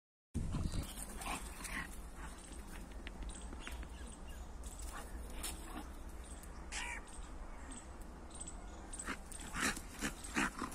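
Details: A Labrador and a pitbull fighting outdoors: harsh, noisy snarls and scuffling bursts come in rapid, irregular clusters over a steady low rumble. Louder outbursts arrive near the end.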